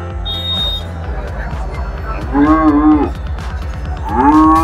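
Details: Heifer at the Peth Vadgaon cattle market mooing twice, a bending, wavering moo past the midpoint and a shorter rising one at the end, with background music throughout.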